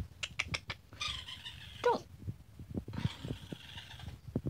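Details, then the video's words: Baby raccoon: quick clicking at first, then two buzzy, harmonic whining cries about a second long, with scattered knocks and rustling between them. "Baby Raccoon Sounds"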